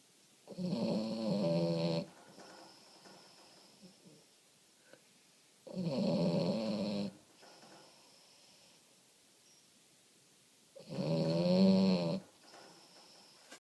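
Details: Sleeping French Bulldog named Omochi snores at home, giving three long, buzzy, throaty inhalations spaced about five seconds apart, each followed by a faint whistling exhale; nothing else is heard in the still room.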